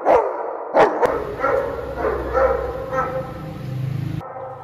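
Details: German Shepherd greeting its returning owner: a few sharp barks at the start, then a stretch of excited whining and yelps over a low rumbling background.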